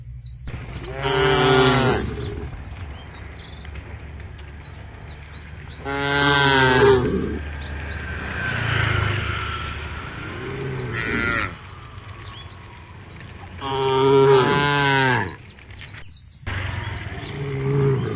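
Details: A herd of tame cows walking towards a field at the edge of a forest gives long, low moos with rich harmonics, several calls spaced a few seconds apart.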